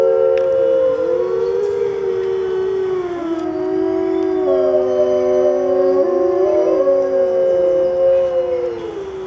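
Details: Several gray wolves in white winter coats at a zoo howl in turns, long smooth tones overlapping and gliding up and down in a chorus.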